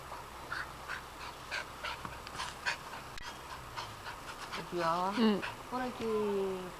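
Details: Female dog Arden, agile and fond of balls, pants rhythmically in short airy puffs while playing in a house garden, then a person's voice in Japanese takes over near the end.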